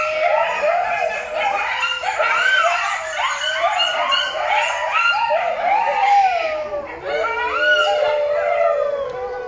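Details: Coyote at Rescate Wildlife Rescue Center in Alajuela, Costa Rica, giving a continuous run of high yips and warbling howls, pitch bouncing up and down in quick wavering notes with no pause throughout.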